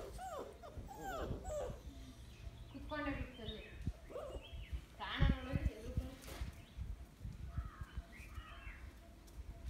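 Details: Mudhol Hound puppies playing with a Great Dane whine and yelp in short, rising and falling cries. Thumps, scuffling and human voices mix in throughout.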